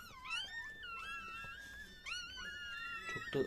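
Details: Newborn Chihuahua puppies just after their mother gives birth indoors, with the last pup likely born: a run of high wavering whines and squeaks, some sliding down steeply, nearly continuous, with a short voice-like sound at the end.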